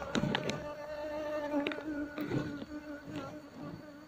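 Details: Honey bee colony being moved into a cultivation box while the keepers search about thirty minutes for the queen; a steady, low droning buzz with layered overtones holds throughout, broken by light knocks and taps.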